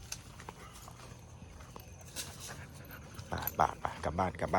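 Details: Local village dogs barking loudly at a pit bull being walked past them: a quick run of sharp, harsh barks in the final second, over steady outdoor background noise, with a woman's worried voice talking.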